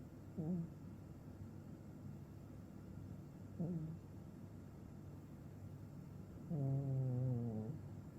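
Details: Maine Coon cat sleeping deeply and snoring, with two short nasal snorts followed by a longer, droning, throaty snore about a second long, all in a quiet room with faint steady hiss.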